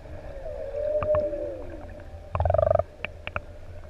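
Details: Singing humpback whales, six adults in open sea off ʻEua island, Tonga, close to swimmers: a steady mid-pitched wavering moan, then a burst of rapid pulsed grunting and scattered clicks.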